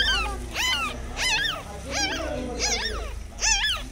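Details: Whimpering of a dog beside a mother dog caring for her one-day-old newborn puppies: six high, arched, whining cries, each rising then falling, about every half second, with faint music underneath.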